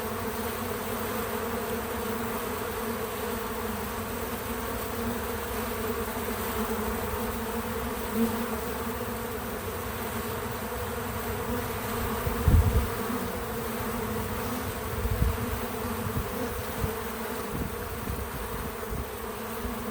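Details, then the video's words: Bees visiting a feeder, recorded in natural real-time sound: a steady droning hum with a low fundamental and clear overtone bands, holding level throughout, broken by a few soft low thumps near the middle and end. "Bees in Slow Motion at the Feeder 🐝 | Natural Buzzing Sounds"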